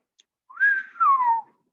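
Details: Bottlenose dolphin in a group of 17 off Shackleford Banks, North Carolina, on a winter day: a clear whistle, possibly a signature whistle, that rises briefly, then slides smoothly downward.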